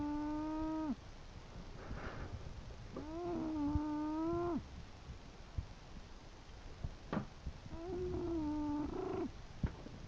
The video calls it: My English bulldog "Chester" snoring!